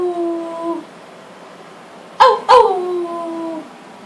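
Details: Frito, a family dog recorded in August 2012, gives a fading howl, a quiet pause, then two sharp yelping starts that settle into a steady, falling howl.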